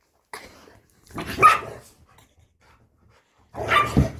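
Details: Chihuahua and pit bull, the chihuahua a found dog that stayed nearly two weeks and befriended the pit bull; two rough, harsh barking bursts separated by a short pause, with a faint voice at the start.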